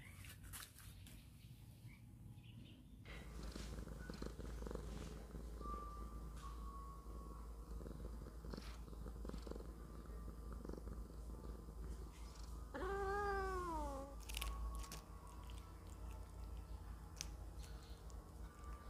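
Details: House cat waiting while fried fish is cooked for it: steady low rumbling purr throughout, one clear downward-sliding meow midway, a woman talking to it and kitchen clatter.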